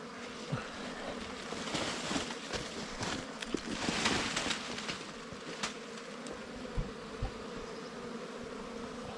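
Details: Droning buzz of wild bees at a nest opened for honey, a constant low hum under frequent crackling, scraping and handling noises, loudest around the middle.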